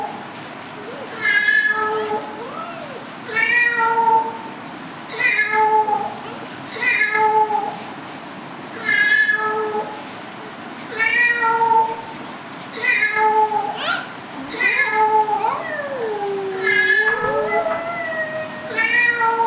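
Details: Domestic cat meowing repeatedly, ten or so harmonic meows spaced about two seconds apart, with one longer, sliding, whining call near the end and low voices in the background.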